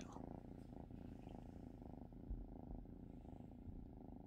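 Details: House cat purring close up, a deep, steady, buzzy rumble with a regular fast pulse and only a faint knock in the middle.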